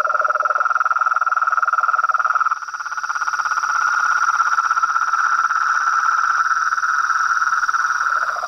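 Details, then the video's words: Toads, frogs and treefrogs singing at nightfall beside a pond: a short lower trill drops out early, leaving a long unbroken fast-pulsed trill, later rejoined by the low voice, over a steady high hum. "A SINFONIA DOS SAPOS, RÃS E PERERECAS"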